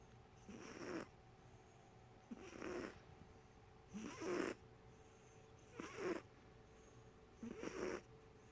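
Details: Pepper, a male pet cat, snoring loudly while asleep indoors, tongue sticking out; five rasping, breathy snores roughly every 1.7 seconds, each swelling and fading, with quiet pauses between.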